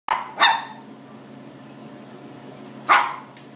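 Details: Chihuahua mix dog indoors barking while trying to get at a blue lobster in a fish tank: two sharp, bright barks in quick succession, a pause of over two seconds, then a third bark, over a steady low hum.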